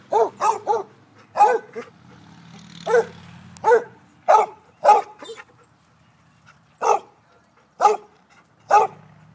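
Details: Basset Hound chasing and barking, rapid doubled barks then spaced loud bays about once a second, with a low background hum.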